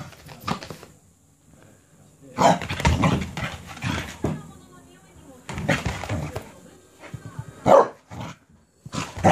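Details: Cardigan Welsh Corgi, a pet dog, going wild with excitement after being given a cabbage core: bursts of harsh, noisy barks and yelps in several clusters across the recording, with human voices talking between them.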